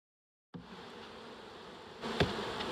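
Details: Early-season reproductive honey bee swarm handled slowly while searching for the queen in Dale County, Alabama. Silence gives way to an even buzzing hum, broken by a brief loud knock.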